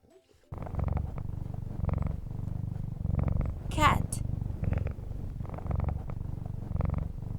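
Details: Domestic cat purring in a steady low rumble of rhythmic pulsed breaths, broken once midway by a short, high, sharply sweeping squeak.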